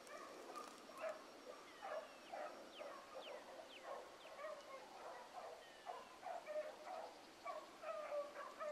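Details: Young hound pups chasing a rabbit in the morning give distant, scattered bays and yelps, several with sliding falling pitch, coming in uneven bursts over a soft background hiss.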